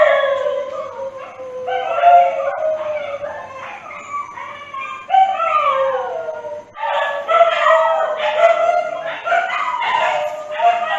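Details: Howling dogs, long mournful tones gliding downward in overlapping waves, the chorus swelling louder and busier after a short drop in the middle.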